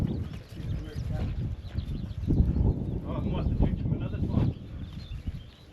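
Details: Black Angus bull getting stroppy on a farm, pushing toward a gate: low, rough, drawn-out bellowing grunts swell from about two to four and a half seconds, with a man's voice and faint birdsong behind.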